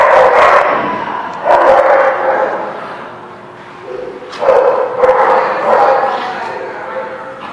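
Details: Dog barks recorded 13 March 2017: bursts of rough, reverberant barking, an early pair, then a pause of about two seconds, then a rapid cluster of three or four barks and a trailing softer one.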